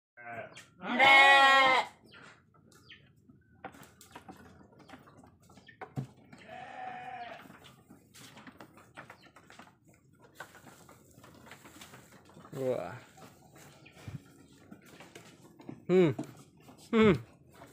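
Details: Sheep in a pen, Indonesia, calling with loud harmonic bleats near the start, a softer wavering bleat around six seconds, then several shorter bleats toward the end over low barn background noise.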